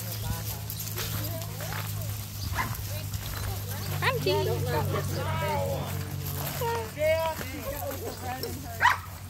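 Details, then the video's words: Playing German Shepherds in a crowd of 112 dogs at a monthly play group; clear barks and high whiny yips come in bursts over a constant low hum, with human voices mixed in. "112 German shepherds playing!"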